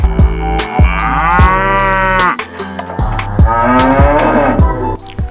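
A cow lets out two drawn-out, resonant moos that swell and then sag in pitch. Rhythmic background music with a regular thumping beat plays throughout.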